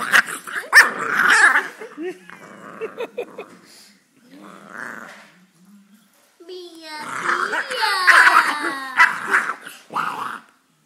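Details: A female Boxer puppy throws a noisy tantrum, going crazy for about five minutes, with rough growls, sharp yelps and rising, whining cries as a person speaks over and between the outbursts.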